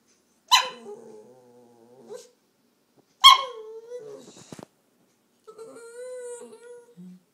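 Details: Taco the dog whining while being coaxed by its owner, three drawn-out tonal whines, each opening with a sharp yelp-like onset and sliding down into a steady nasal moan, separated by short pauses.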